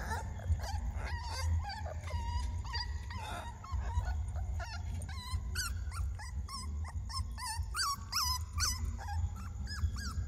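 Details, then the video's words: Several puppies cry out in quick, piercing yelps and sliding whines, some short and hooked, others drawn out and bending downward, packed closely together over a constant deep background hum. "The sound puppies screaming"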